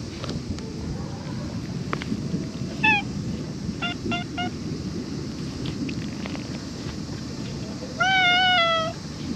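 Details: Cat meowing outdoors: a short meow near three seconds, a quick cluster of brief chirping mews, then a longer, slightly wavering, drawn-out meow near the end, all over a steady low rumble of background noise.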